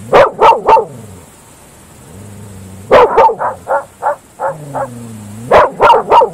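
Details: Night barking by Groenendael Belgian Shepherd dogs in open fields: quick runs of three to seven loud, rasping barks, broken by brief quiet spells, with low echoes ringing after each run.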